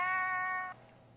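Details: Pet Siamese cat singing indoors: a single steady, sustained tonal meow lasting under a second, with clear even pitch and rich harmonics, then cut off sharply into a quiet room.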